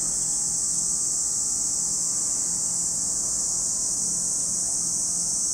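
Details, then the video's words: At Lake Kamo, Sado City, Niigata Prefecture, Japan, cicadas fill the air with a continuous shrill, hissing whir at constant loudness, never pausing, over a soft low rumble. "Lake Kamo in Sado City, Niigata Prefecture, Japan, where you can hear the voice of cicadas."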